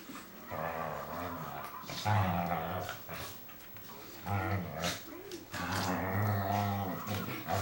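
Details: Female Whippet wrestling in play with her big brother. Deep, rumbling harmonic growls in long stretches, broken by short pauses, with scuffling and snorts between them.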